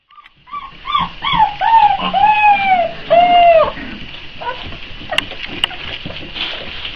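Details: Four-week-old Boxer puppies waiting for feeding time whimper in a chorus of whiny, downward-bending cries around one kilohertz, several overlapping in quick succession, with splashing, shuffling noises and a couple of sharp clicks.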